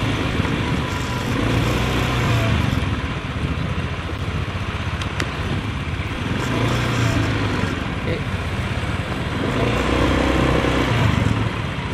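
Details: Loud motorcycle engine drone and wind rush dominate throughout, with no animal sound heard.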